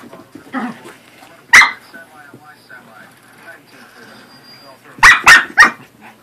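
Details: Pet corgi and Pomeranian playing together indoors: quiet stretches with soft sounds, one sharp bark near the start, then a quick burst of three high, loud barks close together toward the end.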